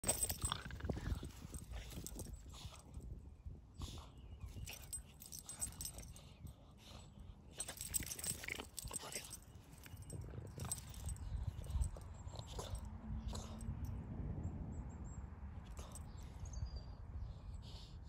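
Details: A Boston Terrier growls low and rumbling in play while tugging at his owner's foot, with scuffling and bumping noises throughout.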